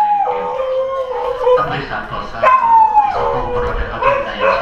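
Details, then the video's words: Dogs at Kanchanaburi train station in Thailand howling in response to public address announcements at a quiet station; long wavering howls sliding up and down, overlapping voices rising and falling in pitch, with a brief gap and renewed howling. "Dogs Howling at Train Announcements"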